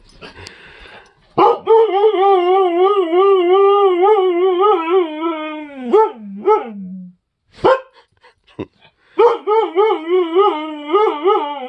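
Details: An agouti Siberian Husky gives a long, wavering howl that rises and falls, then short yodeling bursts, howling at guests while the family sits at the table with food.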